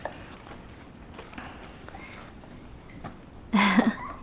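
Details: Four-week-old Alapaha Blue Blood Bulldog puppies, born October 1, 2020 on a 45-acre farm, playing with toys and each other indoors; soft scuffling and chewing, then one short, loud, whining yelp near the end.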